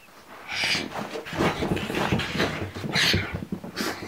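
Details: A pug indoors, scared of a pillow, gives nasal whimpering whines mixed with breathy huffs and snuffles. Short, brighter bursts stand out near the start, middle and end.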